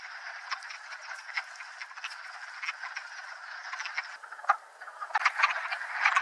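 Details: Wood frogs gathering at a vernal pond on the Mt Tom range, western Massachusetts, to find a mate, the forest floor alive with hopping frogs; steady massed chorus of rapid, clucking croaks, with a few louder, nearer calls standing out toward the end.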